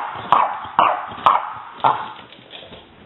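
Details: Young female French Bulldog baring her teeth: four short, sharp, gruff yaps about half a second apart, each fading into a raspy rumble, then quieter muttering growls.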